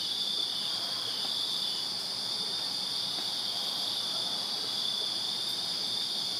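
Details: Many crickets sing in a Virginia backyard on a summer night: a constant high shimmering trill that holds even in pitch and volume, with faint low background noise.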